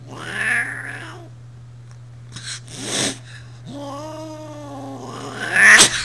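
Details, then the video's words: Brat, a 20-year-old cat, is pissed off right after another cat, Sierra, tried to get past her; she gives drawn-out moaning yowls with a loud hiss-like burst between them and a steady electrical hum underneath. "Mad Cat, Angry Cat, Brat is pissed. Sierra tried to pass by."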